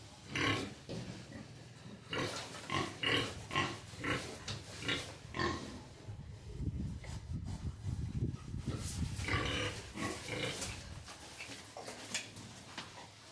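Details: Belgian boar with a Landrace sow, Johnny and Bola, during natural mating on a farm on Sunday 26 February, the sow not yet fully in heat; rhythmic, rough grunts come in bursts about every half second, low and broadband, with short pauses.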